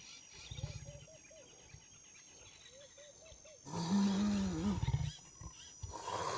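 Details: Leopard (Panthera pardus) gives a string of short, low grunting calls, then a louder, deeper rasping growl.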